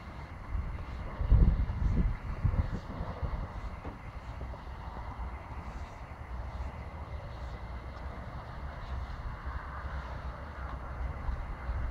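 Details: A steady low rumble like a motor dominates, with a louder thumping burst near the start and faint muffled voices; no animal calls stand out.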